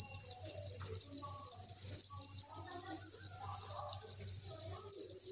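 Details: Crickets in their thousands chirping at a breeding farm, producing a constant dense high-pitched ringing trill without breaks, accompanied by faint low background murmurs.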